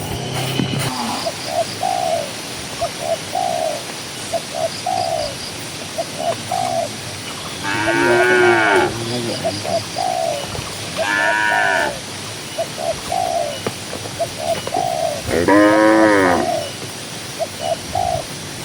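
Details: Dozens of cows ambling across a green pasture: three loud, buzzy, wavering moos spaced a few seconds apart, over steady three-note dove cooing throughout.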